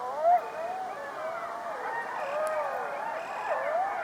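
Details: Coyotes in a pack chorus, several wavering howls bending up and down at once, short yelps rising through the mix, a constant high-pitched insect buzz running behind.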